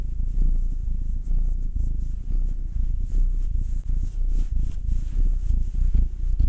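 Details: Massaged pet cat purring: either Will, a nine-year-old black tom, or Anzu, a two-year-old female tortoiseshell Munchkin. A low, vibrating purr rising and falling gently with each breath, with brief dips between cycles.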